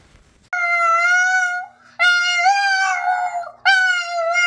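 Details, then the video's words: Boston terrier singing indoors: three clear, steady, tonal howls held at a near-constant pitch, the middle one longest and slightly wavering, separated by brief breaths. "Singing Boston Terrier"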